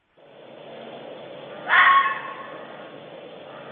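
A bobcat gives a single harsh, rasping yowl lasting about half a second. A steady broadcast hiss runs underneath.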